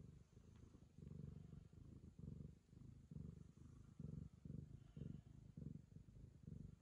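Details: Ragamuffin cat purring as it affectionately licks the owner's daughter, a deep pulsing rumble in even beats about twice a second, steady and clear against a quiet room.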